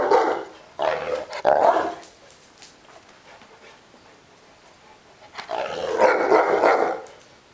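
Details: Neapolitan Mastiff complaining and wanting to play, gruff growling barks in a run of three quick bursts, a long quiet gap with light shuffling, then another sustained rumbling outburst near the end.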